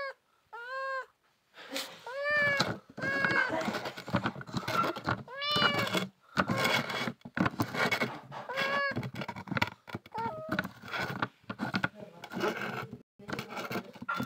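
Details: Hungry kittens give repeated tonal meows every second or two, often rising then falling. Constant clattering, rustling and scratching noises and some faint speech run through the whole recording.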